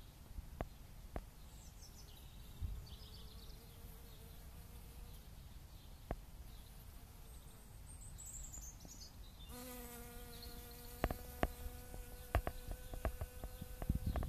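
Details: Honeybee foraging on dandelion flowers in April 2017, active weeks earlier than the previous year; a faint hum drifts in and out early, then a loud, steady, rich buzz takes over for the final five seconds, with occasional sharp clicks and taps.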